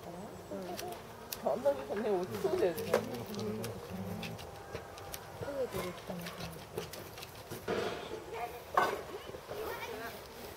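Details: North American porcupine at Saitama Children's Zoo, Japan, March 2017: warbling, wavering moans in the first seconds, then fainter whines among scattered clicks and outdoor background noise.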